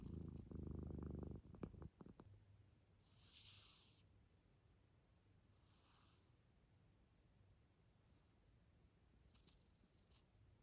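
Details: Munchkin kitten asleep: a brief rough snore opens, then soft breathy snorts with a faint whistle around the third, sixth and tenth seconds over a quiet background.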